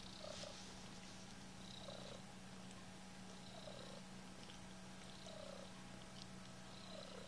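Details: Kittens purring indoors: a low, steady, continuous rumble runs throughout, overlaid by faint, soft, short descending squeaks that recur roughly every one to two seconds.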